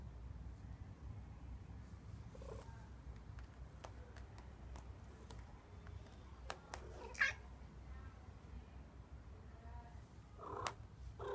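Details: Loki, a white pet cat, gives a few faint short mews in a quiet room; one brief sharp sound stands out midway and a final soft meow closes, with clicks and low background hum throughout.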